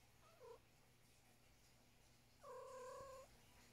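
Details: Luna, a pet cat chatting non-stop after breakfast, gives two quiet meows: a short downward chirp-like one, then a steadier, longer meow about two seconds later over low room hum.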